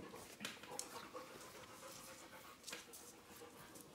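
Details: A puppy pants softly and quickly indoors while climbing onto a lap, breathy bursts of hiss with a few sharper clicks and rustles.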